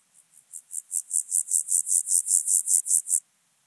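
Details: Recorded on Obir, Austria, 30 July 2022, an Alpine grasshopper's song swells from faint scratches into about fifteen loud, evenly spaced rasping pulses, ending sharply.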